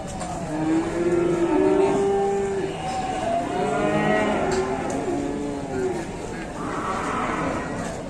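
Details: Several large cattle brought down from Mount Telomoyo to an Indonesian cattle market: long, steady mooing with stacked harmonics that overlaps through the clip, faint voices and traffic behind.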